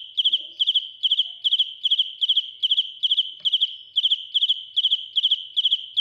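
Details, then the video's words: Close-up of a loudly singing cricket: clean, high ringing chirps, each a quick cluster of three or four pulses, repeated about two or three times a second, steady throughout against a silent background. "Cận cảnh dế mèn kêu, gáy inh tai - Real cricket singing"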